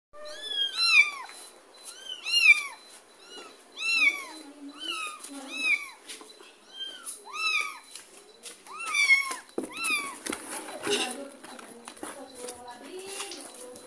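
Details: Mother cat following as her kitten is carried to a neighbour's house, with rapid, repeated high mewing, several overlapping cries about every second, some softer lower meows and faint rustling.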